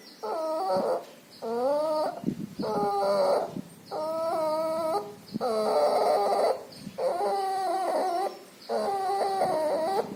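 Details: Sick puppy with pneumonia and distemper, nasal discharge; loud noisy breathing heard as harmonic wheezing whines, about six drawn-out breaths in ten seconds, each lasting roughly a second with short gaps between.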